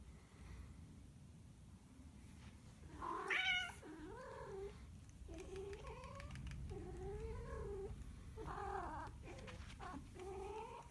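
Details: Domestic cat yowling indoors: drawn-out, wavering moans that rise and fall in pitch, several long cries in sequence with a louder strained peak near the start, over a low background rumble.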